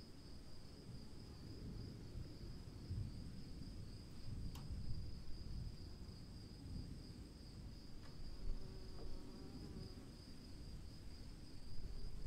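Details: Cricket calling during rain, a continuous high, even trill over loud, rushing low rain noise, broken by two sharp drip clicks and a brief low tonal flutter.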